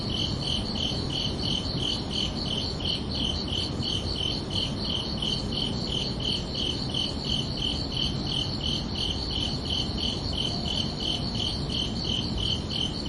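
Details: Crickets at night keep up a fast, regular chirping of about three high pulses per second, unbroken throughout, with a low steady drone of ambient noise underneath.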